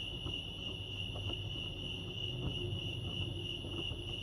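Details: Crickets at Lake Arrowhead, California, giving a steady high chirping trill, with faint ticking sounds and low background rumble beneath.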